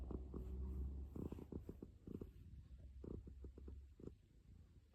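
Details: Cat purring, heard as a soft, low continuous rumble with faint pulsing, broken by scattered short tapping and rustling noises close to the microphone.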